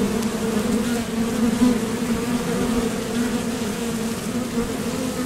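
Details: At a Top Bar Hive entrance, honeybees leaving for nectar and returning create a steady, rich low buzz, bands of harmonics holding level with a slight swell around the middle.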